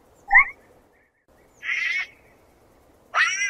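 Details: Sloth squeaks: a brief high chirp, then two longer harmonic squeals about a second and a half apart, each dropping slightly at the end, over a quiet background.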